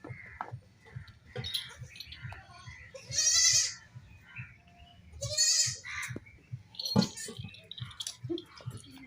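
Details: Baby goats playing and jumping; two loud, high, wavering bleats with rich quavering harmonics, each about half a second to a second long, separated by a pause of roughly two seconds, with faint clicks and soft shuffling sounds around them.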